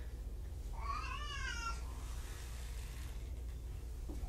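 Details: Kittens from two litters surrendered in Tacoma, in care at Purrfect Pals: one clear, drawn-out harmonic meow that rises then slides down, about a second long, over steady low indoor hum.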